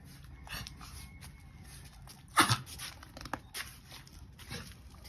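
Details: A puppy gives a single short, sharp yelp partway through, set against faint indoor background noise and a few soft rustles.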